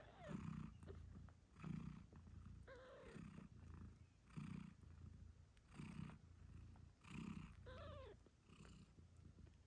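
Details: Mother British Shorthair Moon Stone purrs deeply while caring for her eight-day-old kittens. Repeated rumbling pulses come roughly every one and a half seconds, with a couple of faint, short kitten squeaks.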